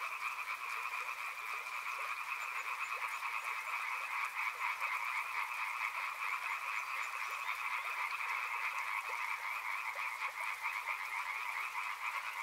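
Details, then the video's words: Frogs by a river, a dense chorus of many callers forming a steady buzzy, pulsing trill in two bright bands, unbroken for the whole stretch with faint clicks and plops beneath. "Frog Sounds | Soothing sounds of river and frogs"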